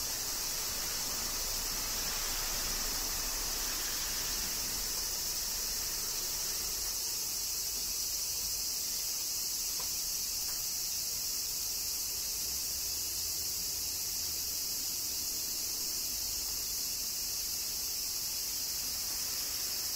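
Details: A continuous high cicada buzz from summer rain in Kyoto, Japan, droning without a gap, with soft low rumble and faint ticks in the background.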